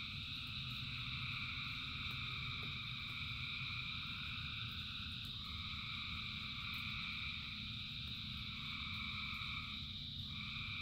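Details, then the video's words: Massed frogs in rain sing in a continuous droning chorus; one voice shifts pitch briefly near the middle and again near the end, while steady rain rumbles beneath. "Frogs in Rain 2 Hours of Frogs, Thousands of Frogs Singing"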